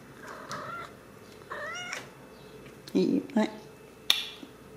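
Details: Ragdoll kittens at a home cattery in central Kansas, raised without cages; short thin high meows come at about half a second and one and a half seconds, followed by a few low thumps, brief clicks and a quiet human voice indoors.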